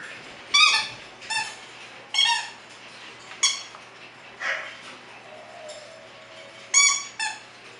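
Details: Bulldog puppies kept at a Florida kennel let out about seven sharp, high-pitched yelping squeaks, each a brief bright burst spaced roughly a second apart, with a steady low hum underneath.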